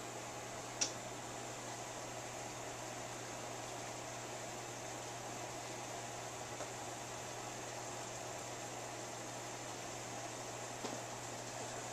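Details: Constant fan-like hiss and low hum fill a small room, broken by two faint clicks.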